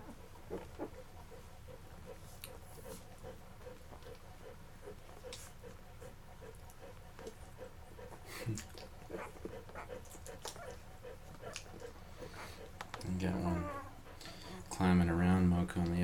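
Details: Mocha's Labrador Retriever puppies, eleven days old, eating until full and crawling off to sleep; soft shuffling and suckling noises, then short squeaky, wavering whines near the end.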